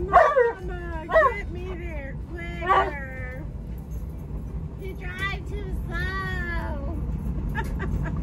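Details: Alaskan Malamute riding in a car, yelling and talking at the driver: howling, yodel-like whines with rising and falling pitch, several bursts over a few seconds, with a person speaking and car noise.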